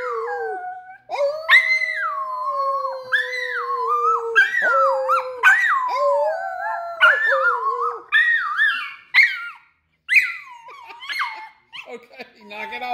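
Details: Howling miniature Australian Shepherd, February 7, 2021, opens with a long sustained mid-pitched howl that slowly sinks, then breaks into shorter warbling, rising-and-dipping notes, followed by yippy fragments after a brief silence near the end.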